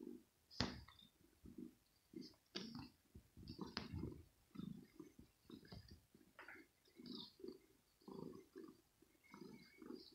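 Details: Kitten Rosetta, a young female cat playing nervously in her scratching home as a finger teases her, repeats low throaty growl pulses about once a second, broken by sharp scratching clicks.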